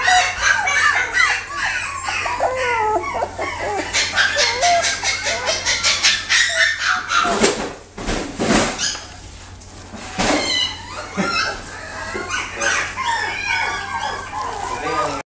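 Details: Chocolate-and-tan male long-haired Kaninchen Dachshund giving high, piercing whimpers and squeaky yelps in quick irregular bursts, broken by a few sharp clattering knocks near the middle.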